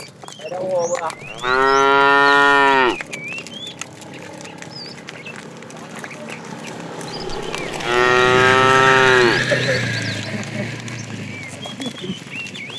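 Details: Fat tame cow in a herd being driven in the afternoon, calling the female: two loud, harmonic moos about six seconds apart, the first steady, the second slightly rising, with chirping birds in the background.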